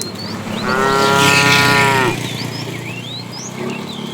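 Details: Tame cow roaming the road in search of food gives one drawn-out, level harmonic moo lasting over a second, over a hiss of background noise and scattered bird chirps afterward.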